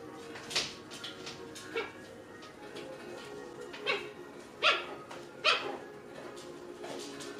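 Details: Playful six-week-old puppies in a pen, letting out brief high-pitched yelps and small barks, a few loud ones close together near the end, over a soft constant background hum.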